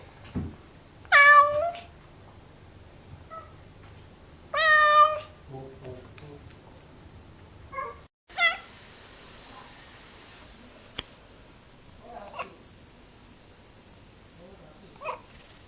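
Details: Domestic cat voicing a range of cries: two loud, drawn-out wavering meows close together, then a short mew and a brief higher call, followed by faint soft chirps against a low steady hiss.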